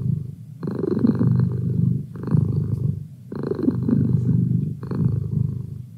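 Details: Merlin the cat purring up close, deep vibrating rumble rising in two-second breath cycles with short quiet pauses between, nothing else audible.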